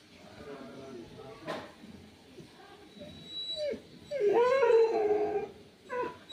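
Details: A puppy whimpers with a rising, wavering whine in the second half, after quiet rustling and a sharp tap; a person speaks Hindi shortly before.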